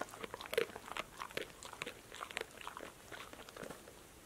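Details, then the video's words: Close-miked ASMR chewing by Passport, a female dog, crunching snacks including apple slices, lettuce, sunflower seeds in shells, tomatoes and green beans; loud rapid crunches and snappy mouth sounds follow each other several times a second. "DOG eats crunchy snacks"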